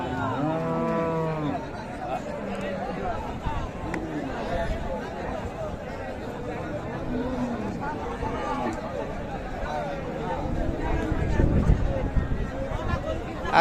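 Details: Cattle at a meat-cattle market in Raniganj, Dinajpur, Bangladesh, with bulls and cows for sale: a harmonic lowing moo near the start, then fainter calls under steady crowd chatter and a man's voice.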